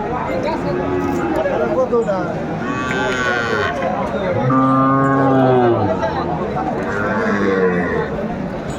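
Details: Sahiwal bull calves at a Chattogram cattle market on 14 January 2025 give two drawn-out, harmonic moos near the middle, the second deep and strong, over steady talk of buyers and a little music.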